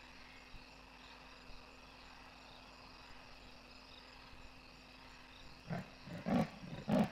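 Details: A large male leopard at Kwa Maritane, Pilanesberg National Park, gives its sawing call: a run of deep, rasping grunts, like wood being sawn.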